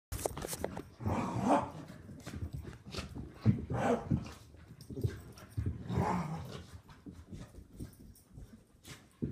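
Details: Two Soft-coated Wheaten Terriers, an adult dog and a puppy, play fighting indoors; rough broadband growling bursts and short barks recur every couple of seconds amid scuffling, with a person's voice urging them on.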